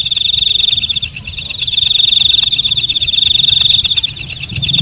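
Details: A night katydid known as walang kecek gives a shrill high buzzing trill with quick fluttering pulses and fainter clicks throughout, with a soft low rumble in the background.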